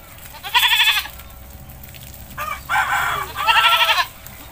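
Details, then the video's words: Village goat being bathed in rural Indonesia, giving loud wavering bleats with a trembling, vibrato quality, three calls across about four seconds, the last two close together, over faint rural background. "The goat in the village is bathing"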